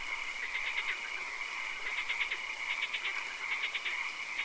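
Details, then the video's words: Swamp frogs at night give crisp rattling trills, each a fast run of four or five pulses, repeated roughly every half second to a second. Many callers overlap above a steady high-pitched hum. "Frog Calls, Swamp Sounds and Occasional Rain"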